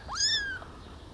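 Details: Rescued abandoned kitten, a tiny baby living in a warm basement and fed milk by syringe, gives one clear, high, rising-then-falling mew lasting about half a second, in a quiet room.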